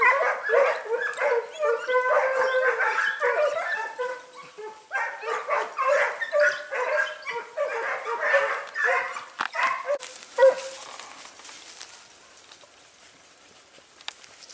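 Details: Short- and wire-haired Segugio Italiano hounds chasing hare near Sofiko in Greece's Evros region, October 18, 2015; a chorus of tonal, yelping bays pours out for about ten seconds, then fades and breaks off into a near-quiet outdoor background.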